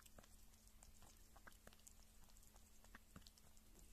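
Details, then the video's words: Female pet kitten, filmed at roughly one or six months old, eating meat or drinking milk: quiet rapid patter of wet smacking and lapping clicks, with a steady low hum beneath. "Small Kitty Sounds Kitten Eating Meat & Drinking Milk"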